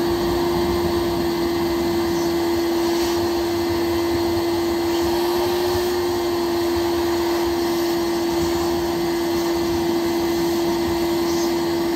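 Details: A loud, steady, vacuum-like machine drone with a strong constant hum runs throughout and masks everything else.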